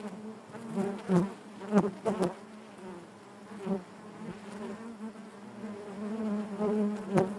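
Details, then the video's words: Honey bees humming in the hive, a steady harmonic drone broken by several quick loud surges and clicks as bees fly past close by, then a smoother stretch of buzzing. "bees therapy hive natural buzzing sound"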